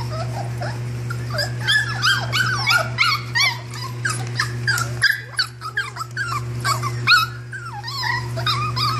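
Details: Young puppies in a litter squealing and whining together, thin rising and falling squeaks crowding one another with brief pauses, a constant low mains hum underneath.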